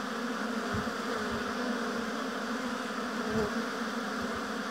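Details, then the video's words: Honey bees at a hive in an apiary, a steady dense hum of many wings forming a continuous drone with a strong low band, a few brief louder passes of single bees cutting through the massed buzzing. "Busy Bees Buzzing Sound"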